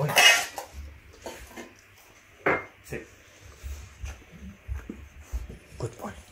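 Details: Two male Labradors, a black one born 2017 and a yellow one born 2018, eat rice with raw quail egg and raw bone, with wet, crunchy chewing in short irregular bursts, dish clinks and a person's voice.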